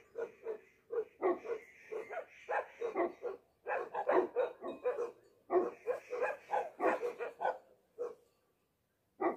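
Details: Resounding barking of a Tibetan Mastiff, or Bhote dog: long series of deep barks, sometimes in quick doublets, with a short break near the middle, a faint high tone behind, ending in silence and one last bark.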